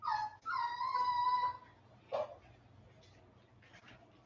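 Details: West Highland White Terrier puppies, 47 days old, on an indoor livestream: a short high whimper, then a longer steady tonal whine of over a second, followed by a brief yelp-like note and soft scattered clicks and rustles.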